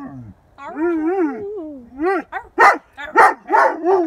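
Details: Pet dog giving a warbling, undulating howl that swings up and down in pitch, then breaking into a series of four or five short, sharp barks roughly every half second.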